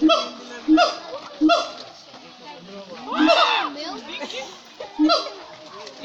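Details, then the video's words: At Cotswold Wildlife Park, siamangs give short, sharp barking hoots spaced under a second apart, interrupted by a louder, rough swelling cry in the middle. "Siamang monkeys in full voice at Cotswold Wildlife Park, LOUD!"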